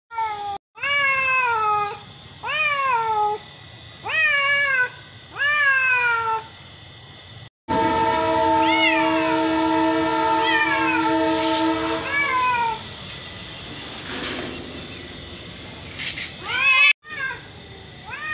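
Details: Mother and daughter cats of the same colour meowing: four rising-then-falling meows about a second apart, followed by a long steady droning tone with scattered meows, then fading and a final short meow.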